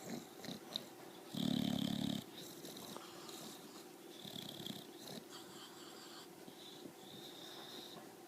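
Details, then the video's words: Bulldog named Donfun snoring loudly: one harsh, rattling low snore lasting nearly a second, then softer, rasping breaths repeated steadily with faint hissy overtones. "BULL DOG DONFUN SNORE LOUDLY"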